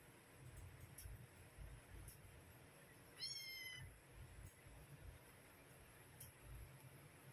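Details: Mother cat calling her kittens to feed them; one high, thin, harmonic meow rises and then falls over about half a second, set against steady low rumbling background noise.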